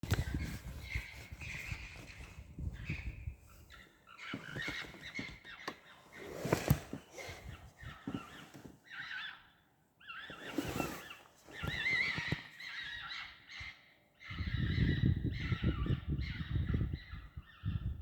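Foxes call in a series of raspy, quavering bursts, some drawn out and wailing, others short and yelping. A deep rumble of wind or handling noise runs underneath, swelling near the start and end.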